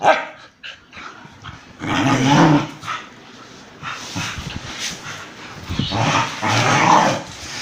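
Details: Dogs fighting, an Indian breed attacking a German Shepherd: harsh, broadband barks and snarling bursts around two seconds and again near seven seconds, with rough growling between them.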